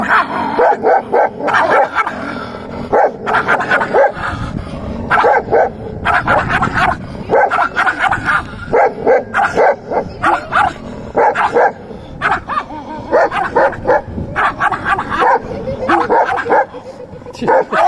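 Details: A puppy and a dog play fighting: dense, overlapping bursts of barks, yips and growls come in rapid succession throughout, with little pause between the scuffling sounds.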